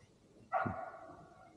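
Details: A single distant bark from a neighbour's female Golden Retriever in the evening, sharp and mid-pitched with a short echo, likely barking because she knows people are nearby.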